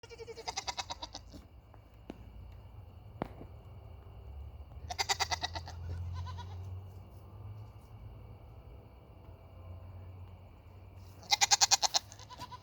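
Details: Hungry Nigerian Dwarf goats (Capra hircus) give loud, wavering bleats in short bursts with pauses between.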